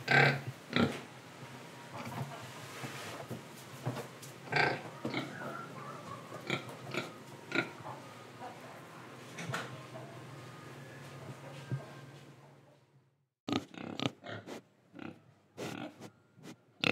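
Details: Pig in Indonesia eating and breathing: steady low rumbling with scattered soft grunts and chewing clicks, then after a short silence a series of sharp snorts and crunching sounds.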